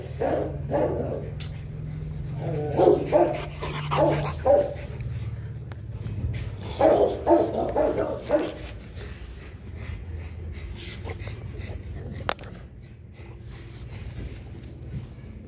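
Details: Rottweiler pair Loki and Siro mating, struggling and tipping over repeatedly; two clusters of brief, strained whimpering yelps separated by a quieter stretch, over a steady low hum and occasional handling knocks.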